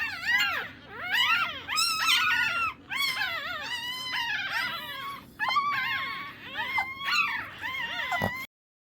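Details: Shih Tzu puppies crying loudly in close-up: strained, high-pitched yelping whines that bend sharply up and down, coming in bursts with short pauses, overlapping one another before stopping abruptly.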